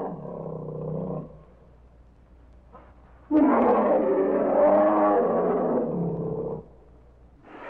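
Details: Bear roaring: a short low harmonic growl opens, followed after a pause by a loud, rough, sustained roar lasting about three seconds that fades away, with a brief faint sound near the end.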